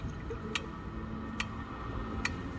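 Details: A sperm whale on a long, deep dive gives sharp, broadband clicks repeating slowly, a little under one second apart, over low rumbling background noise; real recording from seafloor hydrophones that located the animal.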